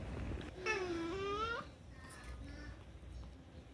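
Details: Rescued house cat Unagi-kun making a demanding, pleading meow indoors; one drawn-out nasal cry of nearly a second that dips then rises at the end, followed by faint softer murmurs.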